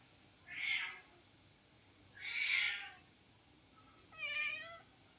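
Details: Domestic cat sulking after being told no massage, giving three drawn-out meows about two seconds apart, the last one clearer and more tonal, with a faint steady hiss underneath.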